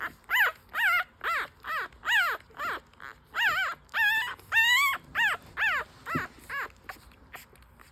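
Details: Five-day-old newborn French Bulldog puppies breastfeeding; a steady series of short, high, rising-then-falling squeals and whimpers, about two per second, forming a continuous hungry chorus.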